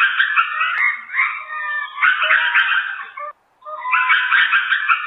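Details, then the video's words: Lemur calls: a sustained, quavering, harmonic chorus runs unbroken for over three seconds, pauses for a moment, then starts again at the same pitch and intensity. "Lemurs sounds"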